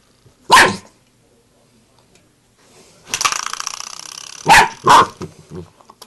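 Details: A Bull Terrier puppy confronting a door knocker lets out short, punchy barks, one early and two in quick succession near the end, with a buzzy, rapidly repeated metallic rattle of the knocker between them.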